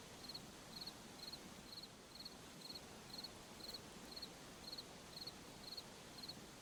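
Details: In a forest at night, a cricket chirps steadily in short, high, trilled bursts about twice a second over a soft night hush.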